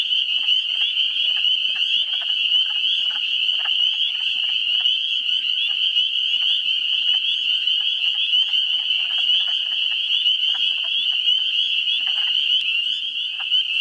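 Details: Swamp chorus in New Hampshire in early April, where countless spring peepers give high, piping peeps that merge into a constant shrill drone. Short, hoarse clucking wood frog calls break through repeatedly in the background.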